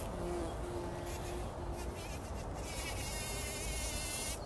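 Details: Early-morning bumblebees at work in poppy flowers before sunrise, 2019: a low droning buzz with clear steady tones, then a long high rippling, wavering sound toward the end.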